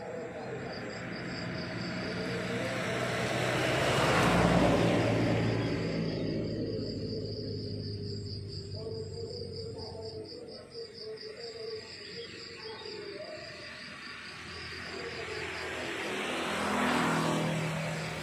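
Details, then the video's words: Rapid high chirps of crickets continue through a rural morning scene while two vehicles roar past, one near the start and another near the end. "The beautiful sound of crickets chirping in the countryside in the morning"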